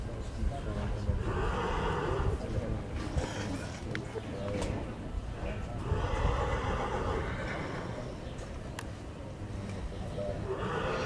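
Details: A colt foal of Dinken, Cormint and Casall lines being presented: three bursts of shrill, harmonic neighing spaced several seconds apart, over a heavy low background, hooves clopping and a German-speaking voice.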